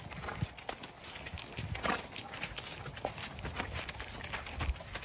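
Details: A horse on a trail ride in Florida: hooves clop in an uneven, steady rhythm along the trail, with no clear neigh.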